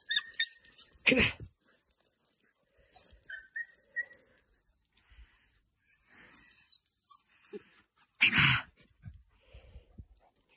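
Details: Young Podenco hunting dogs during a training session: loud broad bursts of barking near the start and again after eight seconds, with quieter high chirping and whining notes between them.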